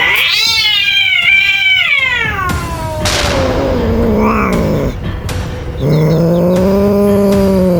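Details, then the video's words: Frightened cat making a loud noise: a high wavering yowl sliding slowly downward into a low growling moan, brief pause, then another long low steady howl, over background hum. "cats are scared so they just make a loud noise"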